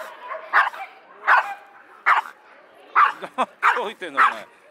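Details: A bad-tempered Pomeranian x Pekingese mix dog at the Yoyogi Park dog run on a busy Sunday, surrounded by many dogs, barks in sharp, high yapping bursts, roughly one bark every second.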